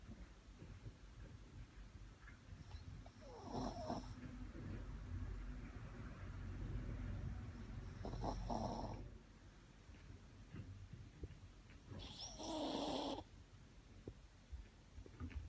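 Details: Sleeping Shih Tzu snoring, with a steady low wheezy rumble broken by three louder rasping snores spaced about four seconds apart, each roughly a second long, against quiet background.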